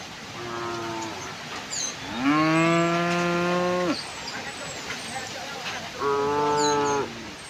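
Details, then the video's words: Tame cows heading out to a broad field in gentle morning sunlight; three mooing calls, the middle one long, loud and slightly rising at its start, the others shorter, with faint bird chirps in the background. "the sound of cows"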